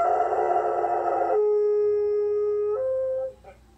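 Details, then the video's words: Howling from Zooka, a dog first heard howling at 15 months old in August 2020: a loud, rich held note, then a sudden drop to a lower steady tone, a brief step upward, and a fade into near silence. "Does your dog howl"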